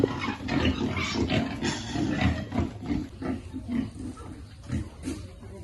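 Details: Piglets grunt rapidly while being fed, short low snorting grunts tumbling close together, fading somewhat softer toward the end.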